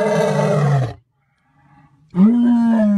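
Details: An African lion, possibly a white lion, gives two deep, throaty roars separated by a brief pause.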